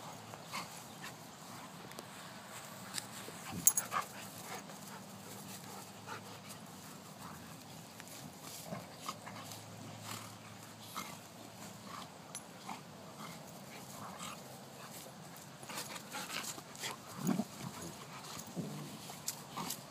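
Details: Two Golden Retrievers, Shai and Finn, playing together: low, drawn-out growling rumbles come in stretches over the first half, amid scuffling, thumps and sharp clicks of rough play.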